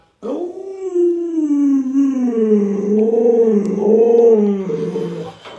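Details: Pet Alaskan Malamute Luoluo howls to rouse an owner who will not get up: one long, unbroken, wavering vocal, sliding up and down and lasting about five seconds, sung like talking, in an indoor room.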